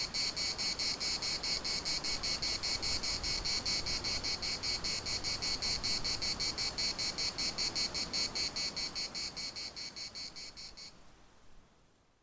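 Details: Chorus of cicadas at Larnaca's municipal park, a loud high rasping buzz throbbing in rapid regular pulses, about 150 per minute, that stops abruptly near the end, leaving faint wind.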